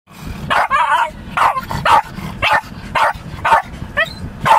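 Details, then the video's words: A Lakeland Terrier sits in a car just after rain and barks at the moving windscreen wipers as if to attack them. Sharp, loud barks come about every half second, mixed with wavering whines and yelps between them. "the Lakeland barking at windscreen wipers"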